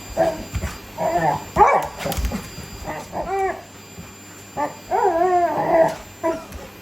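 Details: Labrador Retriever wrestling with a vacuum cleaner, wanting to be sucked up by it; short harmonic barks and yips in uneven bursts, some rising then falling, with vacuum motor hum underneath.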